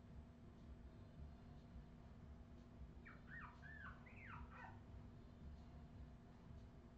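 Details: Australian Terrier puppies recorded in 2018: a short burst of high, wavering whimpers and squeaks in the middle, each sliding up and down, over a steady low mechanical hum.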